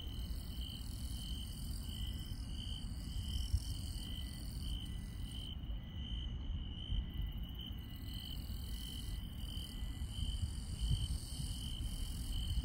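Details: Countryside insects at night give a continuous shrill trill that pulses gently, with higher, thinner chirping layered above that briefly drops out midway, all over a constant deep rumbling noise.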